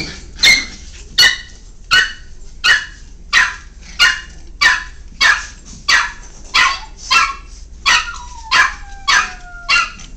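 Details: Miniature Pinscher puppies playing give sharp, high yapping barks, about one every half second. Miniature Pinscher.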